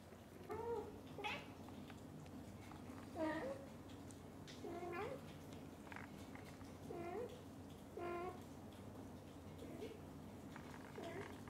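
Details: Onion, a kitten, excited and happy while being pampered by his mother cat, gives short high tonal meows roughly every second, some rising and some falling, over a quiet indoor background.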